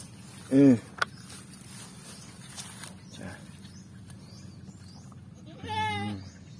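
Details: Farm goat, among goats said to be three months pregnant, being given water: two loud, wavering bleats, one short near the start and a longer quavering one at the end, with talking in Tagalog in between.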